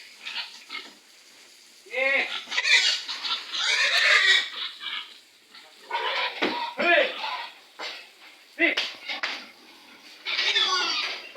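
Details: A stubborn sow, head covered with a sack, being loaded with other pigs. Shrill, rasping squeals come in bursts, loudest around the middle and again near the end, with men's voices and shouts in between.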